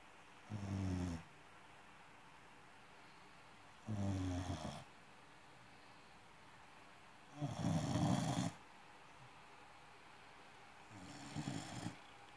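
An American Cocker Spaniel snores in slow, rumbling breaths, one roughly every three and a half seconds.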